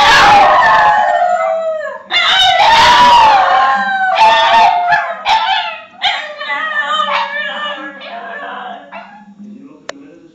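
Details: A pack of Basenjis (Canis lupus familiaris) howl together in long, wavering, yodel-like phrases that slide up and down, screeching along to a TV theme tune.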